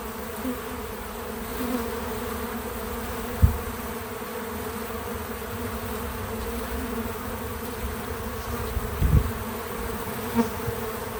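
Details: Several bees at a feeder make a steady low hum throughout, with natural sound and no narration. Soft low thumps break in near the fourth and ninth seconds against the continuous drone.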